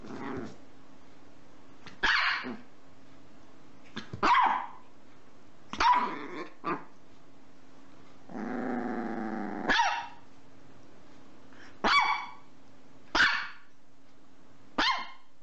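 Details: A female dog barks for fun, giving sharp, loud barks a second or two apart with a brief low growl between them.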